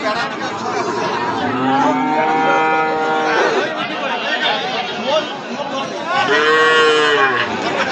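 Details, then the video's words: Two moos from a bull offered for sale: a long, steady, level bellow in the first half, then a shorter arched moo near the end, over continuous background talk from a crowd of people. "ষাঁড় গরু"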